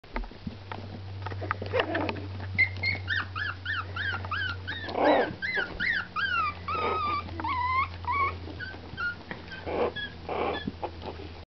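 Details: Four-week-old chihuahua puppies whimpering: thin, high squeaky cries in quick bursts, each sliding downward, overlapping from several pups, with soft snuffling and a low steady hum underneath.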